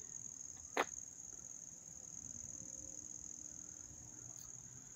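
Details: Crickets at a Little League field in Dobbs Ferry, New York, on August 29, 2024 keep up a steady, high-pitched shrill trill without a break, with one sharp click early on.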